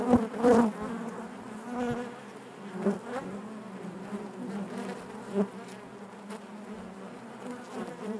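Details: Honey bees humming inside their hive, a dense steady drone with a strong low fundamental and stacked harmonics, swelling in brief louder surges as individual bees pass close, around a continuous colony murmur.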